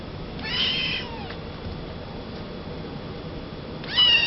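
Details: Maine Coon kitten, male, born 27 July 2011, at a Yokosuka pet shop in Kanagawa, Japan: one bright, brief meow, then about three seconds of quiet room hum before a second loud meow begins at the end.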